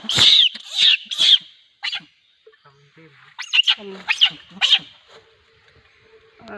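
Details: Monkey giving repeated high, harsh screeches in two bursts separated by a quiet gap, with faint low tonal sounds in between, about two shrieks per second.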